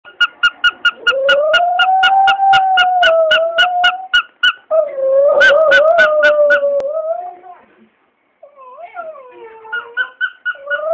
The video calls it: My Dog Howling at Squeaky Toy